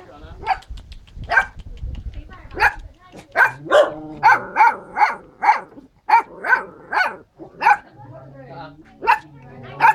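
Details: A blue-eyed puppy barks in short, high, bright bursts, a few at first and then a steady run roughly every half second through the middle. A low hum sits underneath at the start and near the end.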